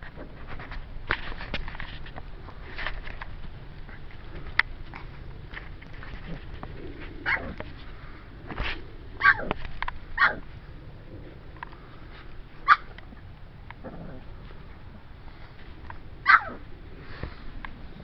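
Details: Puppies at play give short, sharp yips scattered through the recording, with bursts near the middle and end, over a steady background of soft clicks, scuffles and rustling.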